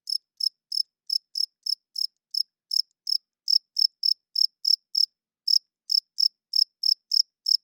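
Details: Nocturnal cricket chirping, a male rubbing its wings together to attract females and establish territory; around two dozen sharp, high chirps in a fairly even rhythm with one short gap, nothing else audible.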